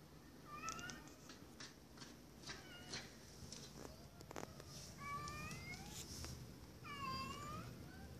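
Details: Domestic cat that meows a sound like "hello" while knocking or scratching at a door whenever it wants to come in; several drawn-out, slightly rising-then-falling meows, with a few quiet knocks or scratches and a faint room hum.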